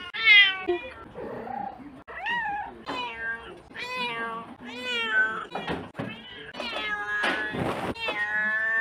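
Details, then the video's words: Domestic cat producing a chattering series of short and drawn-out meows of varied pitch, some rising, some falling, with a brief rustling noise near the end. "Cat meows compilation #55"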